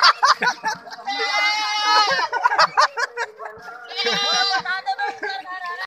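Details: Goat giving two drawn-out, quavering bleats, the first about a second long and the second shorter, partly overlapped by people talking in Hindi.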